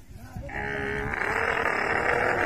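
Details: Dromedary camel in rut (musth), frothing white at the mouth: a sustained, harsh, bubbling roar that swells and grows louder over two seconds, rough and noisy with a steady higher hiss above it.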